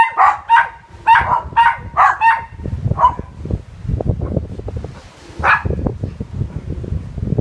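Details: Pair of dogs barking at the Sunabe Seawall pavilion in summer 2017; quick burst of sharp barks for three seconds, then wind-like outdoor rumble with one later bark.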